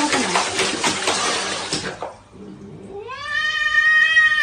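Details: Domestic cat in a funny pet scene: a long rising then level meow with clear stacked harmonics in the second half, after a first stretch of broadband splashing water noise.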